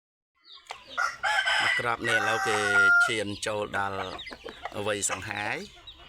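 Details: Fighting gamecock of an Asil cross, about 3.2 kg, crowing: a long, loud, harmonic crow that falls and breaks into rough, choppy segments, then fades out, with a man talking nearby.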